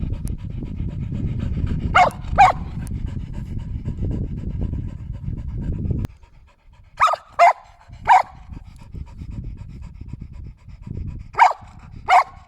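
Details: Shetland Sheepdog barking: pairs of short, sharp barks at about two and seven seconds, then spaced single and paired barks, over a low rumbling, panting-like background during the first six seconds.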